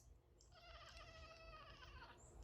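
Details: A pet cat cries right after its owner sneezes, giving one drawn-out, clearly tonal meow lasting about a second and a half, wavering slightly and fading at the end, quiet over a low room hum.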